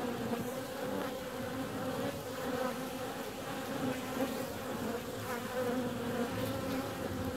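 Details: A warm February day brings bees out on the wing: an even, sustained buzz with a clear higher overtone, rising and falling slightly as the insects move about.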